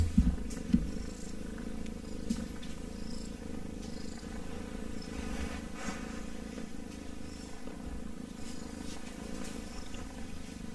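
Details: A kitten purring softly and steadily, a low fluttering rumble after a few louder bumps at the start, with faint rustles and clicks.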